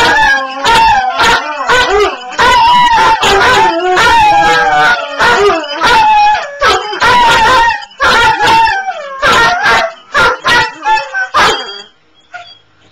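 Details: Oslo and Ballue, two dogs, howl together: overlapping wavering harmonic wails broken by quick yelps and barks, roughly fifty bursts a minute, fading to scattered short cries and near quiet at the end.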